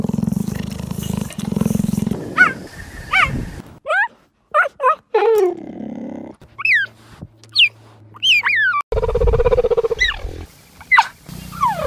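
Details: Repeated high chirping from a cheetah, each note sweeping sharply down, mixed with a rough low moaning call and short noisy bursts. Edits cut between takes with shifting background hum.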